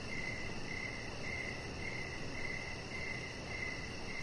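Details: Evening crickets near a deck with a resting chihuahua puppy, Rocket; even, high chirps come in quick succession, nearly two per second, over soft steady noise.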